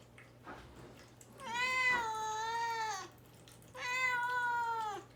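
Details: Domestic cat isolated in a cage while fasting before neutering, meowing to be let out; two drawn-out, slightly wavering meows about two seconds apart over a faint steady hum.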